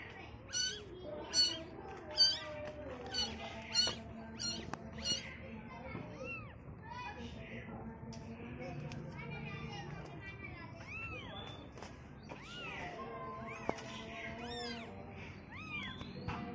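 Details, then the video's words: Young kittens on their first look at the world call in quick high meows, about six in the first five seconds, then softer rising-falling mews scattered through later while people talk in the background. "baby cat Meowing"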